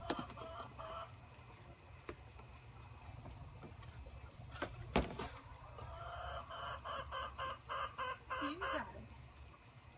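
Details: Orphaned Boer goat kids, six of them, being bottle-fed together from a wooden multi-bottle feeder, recorded on a phone set on a gate; a quavering, pulsing bleat rises near the end after thumps and a woman's soft encouraging words.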